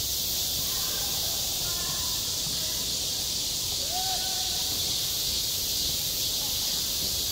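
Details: Cicadas calling in summer at a school playground: an even, shrill, unbroken buzzing sheet of sound, with faint distant voices and a brief sliding tone in the background.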